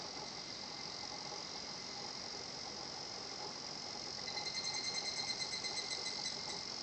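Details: Higurashi cicada singing at a tranquil nature spot, Shinhocchi-an: a steady high insect drone fills the first seconds, then a fast pulsed kana-kana-kana series of bright, high, evenly repeated notes rises in loudness near the end.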